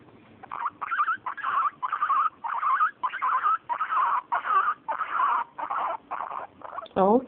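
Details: A female guinea pig purrs in a run of short, buzzy bursts of contentment, then gives a sharp rising squeal of annoyance when her belly is touched.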